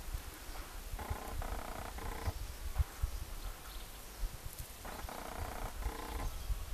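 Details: A common carder bee (Bombus pascuorum) hums in short bursts, a low, steady buzz rich in overtones.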